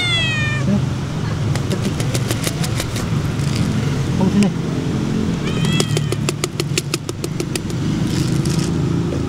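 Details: Stray cats being fed outdoors; a clear falling, drawn-out meow opens, a second shorter meow follows mid-way, over a steady low motorcycle engine rumble, clicking ticks and human voices.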